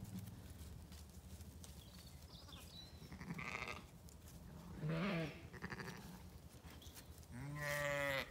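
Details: In a County Kilkenny paddock, Zwartbles sheep newly turned out with lambs give quieter, muffled bleats in the middle and then one clear, wavering bleat with strong harmonics near the end, over steady low background noise.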